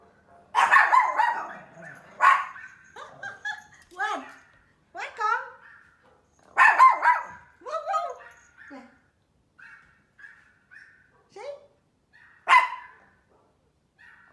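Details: Mimi, a small Pomeranian scared of loud noises like thunder or firecrackers, gives sharp, high barks at irregular intervals, about four bursts in fourteen seconds, while a woman talks soothingly to her in Vietnamese and English.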